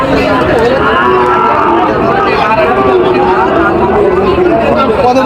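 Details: Sahiwal bulls at a cattle market in Joypurhat on 23/6/25: low, drawn-out lowing with steady harmonic bands runs under constant haggling voices and crowd chatter throughout.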